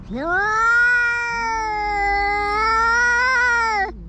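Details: Territorial standoff between a tabby-and-white cat and an intruding orange tabby, two voices howling at once: one high steady wail with a slight waver near the end over a lower droning moan.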